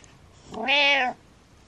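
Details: A domestic cat meows to wake its owner, one drawn-out harmonic-rich meow about half a second long, steady then slightly falling at the end, in a quiet indoor room; a person murmurs afterwards.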